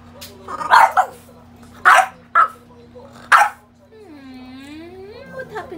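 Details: Pogi, a French Bulldog at play with rubber toys, lets out four quick, harsh barks in a row, then a drawn-out, wavering whine-like tone, with a constant low indoor hum beneath.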